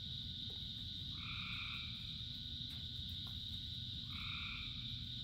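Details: Frogs calling in rain, thousands singing together: two short, bright two-toned croaks about three seconds apart rise over a steady high-pitched chorus hum, with a dense low rumble of falling rain underneath.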